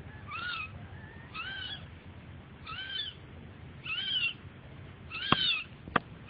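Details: Kitten mewing steadily, about five high, bent whines roughly one second apart, each briefly rising and dropping; two sharp clicks near the end.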